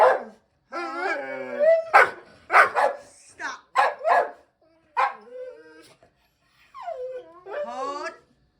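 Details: Pet dog vocalising: a string of drawn-out, wavering whines and yowls that slide up and down, broken into short bursts, while a person talks to it in between.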